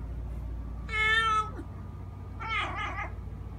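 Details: A male domestic cat that makes this noise all day, sometimes at 6 am, gives two meows: a long, bright, harmonic-rich meow, then a shorter wavering one, over a low steady hum.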